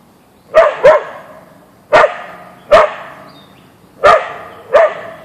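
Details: Siberian Husky Boeing, an Ausky, meeting a deer in a backyard, gives three pairs of quick double barks spaced about a second apart over a low steady hum.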